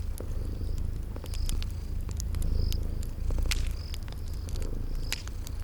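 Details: Purring from cute sleeping kitties, a continuous deep rumble that swells gently, overlaid with snapping fireplace crackles and brief high cricket chirps in a cozy spring garden setting.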